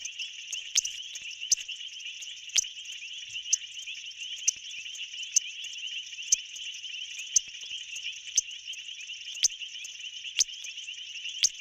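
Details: A male painted reed frog in a South African pool, the loudest caller for his size and audible over a mile away, gives sharp, piercing clicks about once a second over a steady high chorus; females judge call loudness and rate.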